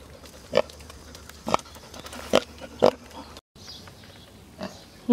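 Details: A pot-bellied pig out for a walk on a hot summer day gives brief, husky nasal grunts at uneven intervals of a second or two, with soft background noise and voices nearby.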